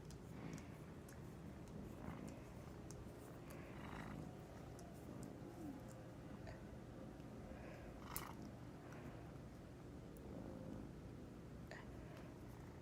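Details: Sleeping house cat dreaming at midday; steady low rumbling snore with faint breathy bursts at intervals, a sharp click near the eighth second, indoor quiet.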